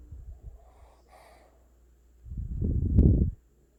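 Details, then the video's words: A Boston Terrier puppy snoring in its sleep: soft, quick breaths, a pause, then one loud, rasping, snorting inhale lasting about a second. "Cute Puppy Snoring"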